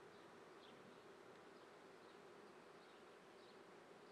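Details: Swarming-season honey bees at an Italian apiary in Treviso, morning of 22 May 2010: an unbroken, dense droning hum, with faint short chirps above.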